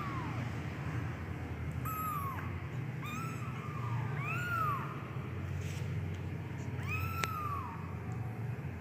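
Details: Medium-coat Persian kitten meowing: five or six short, arched, whining meows that rise and fall, spaced about one to two seconds apart, over a steady low engine-like hum.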